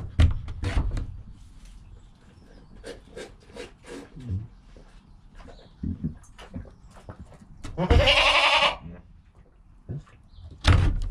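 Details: Newborn goat kid Joel, filmed within an hour of his birth with mother Penny, gives one strong wavering bleat midway amid thumps, shuffling and soft low sounds.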